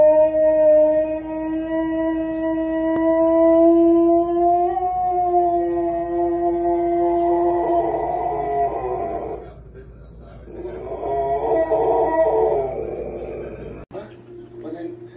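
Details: Domestic dog giving a long, sustained howl that holds a steady pitch, lifts slightly midway, then breaks into rougher wavering tones, with a short quieter pause before it resumes; indoor room sound.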